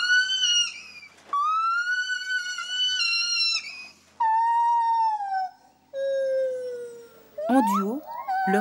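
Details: Gibbon pair duet in which the female's great call bursts into high notes; partners alternate without overlapping, marking the pair and warning off intruders. Long pure hoots, held level or gliding down, separated by pauses, ending in fast rising whoops.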